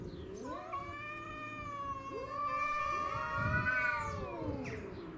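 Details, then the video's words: Domestic shorthair cats face off over territory, involving Tom, Mimi and a neighbourhood stray. Overlapping wavering howls from two voices rise and fall continuously, building in loudness near the end. "Craziest Cat Fight Compilation Video"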